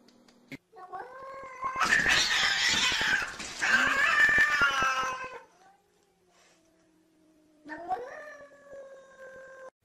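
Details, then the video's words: Domestic cats fighting through glass: loud, harsh, drawn-out yowling caterwaul from about two to five seconds, then silence and a steadier wavering howl near the end. "Funny Cats Fighting Through Glass"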